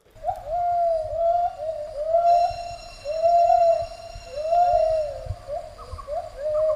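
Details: A mated male and female gibbon pair holding a territory together duet in clear, rich, hooting whoops, each sliding up and then down and repeating about every second and a half, with a higher phrase joining near the end.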